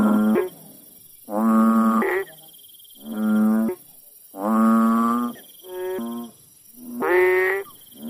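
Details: In a village, a frog gives deep, nasal honking calls, each under a second, repeated in an uneven series.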